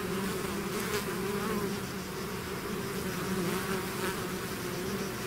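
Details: Bees swarming out of their hive fill the air with a continuous low hum, two steady tonal bands wavering slightly under a broad rustling buzz, with faint brief clicks.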